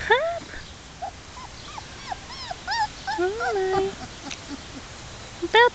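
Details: Black German Shepherd puppies, 3.5 weeks old, Czech working lines, taken outside to explore a new environment: many thin, high, rising-and-falling whimpers and squeaky yips overlapping, with a woman talking softly to them.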